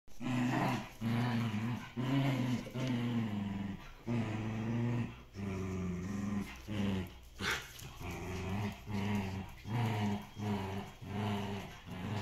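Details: Two dogs, a Shiba Inu and a Samoyed from a breeder in the Netherlands, playing tug of war indoors; continuous low rumbling growls in rhythmic bursts about once a second, with brief pauses and a short sharp noise midway.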